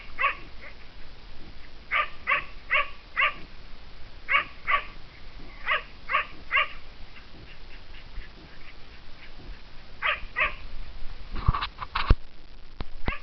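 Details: Kai Ken hunting dog in Japanese mountain fields, chasing and cornering a Japanese serow, giving repeated barks in bursts of two to four, farther off and partly masked by low rumbling wind or handling noise, with clicks near the end.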